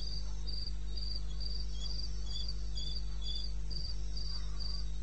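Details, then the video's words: Cricket calling in the wilderness of eastern Botswana, recorded 21 May at 2:30 am: a steady train of short, high-pitched chirps, about four a second, with a second, lower cricket joining intermittently over a constant low hum. "1 Hour cricket sound"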